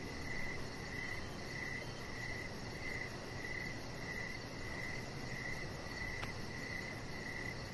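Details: Crickets calling on an evening deck, steady pulsed chirps at a regular pace of about ninety per minute, a single soft click near the end, continuous background hiss.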